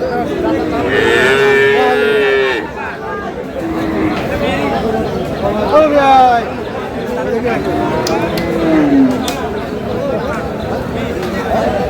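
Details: Friesian bull calf offered for sale at Aftabganj livestock market, Dinajpur, Bangladesh: a strong harmonic moo lasting about two seconds at the start, then shorter bawling sounds amid busy market talk and haggling.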